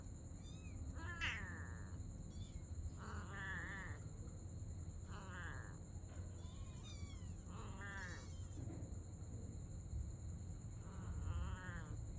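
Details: Mother cat and kitten at play during the night: a run of clear, harmonic-rich meows, roughly one every second or two, some rising then falling, over constant low background rumble and a steady high-pitched tone.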